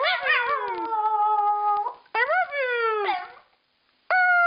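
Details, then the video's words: Pet dog, female, howling in imitation of a howled "I love you"; a wavering onset settles into a long level tone, followed by a shorter dipping howl and a sudden new note at the end. "Dog Howling"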